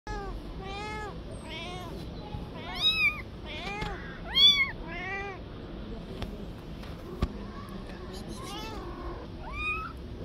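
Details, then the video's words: Street-living stray mother cat meowing, begging to get her kitten back out of fear it will be harmed; loud arched meows come in quick irregular series, several overlapping, with faint background rumble. "The mother cat begs and wants her kitten back"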